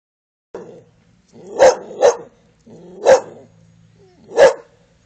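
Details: A male English Bull Terrier gives a few sharp, deep barks between low, rumbling growls on the command "pak ze", a playful trick; his tail wags happily.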